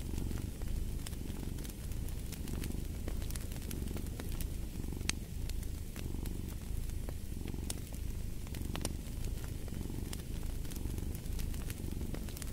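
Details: Continuous low rumbling purring from a cat, rising and falling in rhythmic breath cycles throughout, while a fireplace snaps and crackles with frequent bright pops above it.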